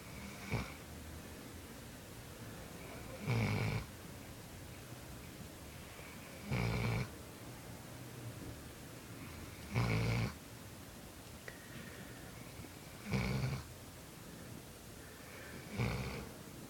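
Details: Bolo the dog snoring while asleep: deep, rasping snores in regular bursts about every three seconds, each roughly half a second long, over a quiet indoor background.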